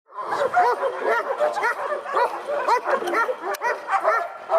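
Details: Dogs barking in a dense, overlapping chorus of short, high, yelping barks that run together with no pause, possibly several animals at once.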